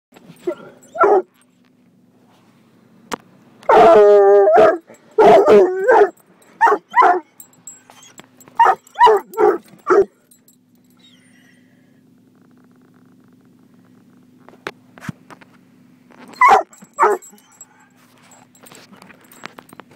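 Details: Gunner, a coonhound mix, barks at a car wash to protect his family: harmonic barks and a long wavering howl-like bay near four seconds, in bursts separated by quiet stretches with a low steady engine hum.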